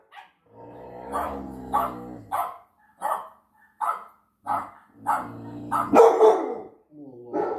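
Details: Six-month-old UKC American Pit Bull Terrier Floki reacting to dogs on a television with a run of short, evenly spaced barks about every half second, mixed with a low growly undertone, one louder bark near the end.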